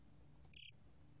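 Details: A single chirp from the 곰귀뚜라미 cricket, National Institute of Biological Resources, 2020: a sharp, high, buzzy burst of about five rapid pulses lasting under a quarter second, in near silence.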